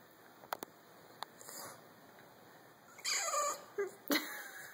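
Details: A French Bulldog whines in short, wavering bursts over a steady high hum, begging for pizza he cannot reach.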